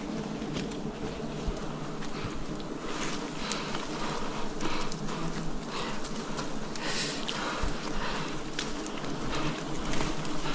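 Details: Wild bees in a forest during a honey harvest, a dense, steady low buzz holding throughout with scattered clicks and taps over the hum.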